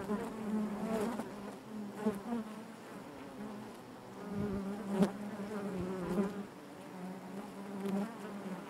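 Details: Quiet, continuous hum of honey bees within their hive, a steady low drone with faint harmonics, occasional brief clicks and gentle swells in loudness.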